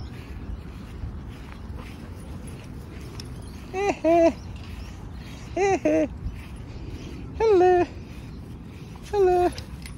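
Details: Bulldog named Bonnie, a pet shown as thirsty near a drink: four descending, nasal whines at roughly 1.5 to 2 second intervals, each short and tonal with rich overtones, over a low background rumble and faint voices.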